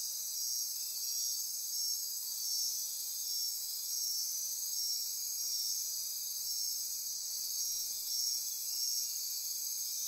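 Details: Costa Rican rainforest insect chorus at midnight on the Osa Peninsula near Corcovado; continuous high-pitched pulsing and trilling layers with quick repeated chirps, steady in loudness throughout.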